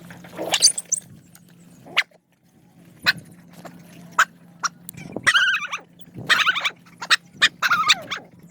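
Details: Many hungry dogs crowding to be fed: sharp yips and short high whines break out in bursts, with squealing stacked cries near the middle and end, over clicks, scuffling and a steady low hum.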